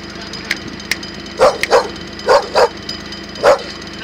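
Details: A Bull Terrier gives short, gruff barks in uneven bursts, some in quick pairs, during an attack.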